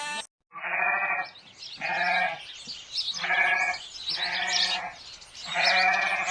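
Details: {'caption': 'Repeated harsh, nasal bleats from a domestic sheep, about five calls each roughly a second apart, with a rough buzzy quality.'}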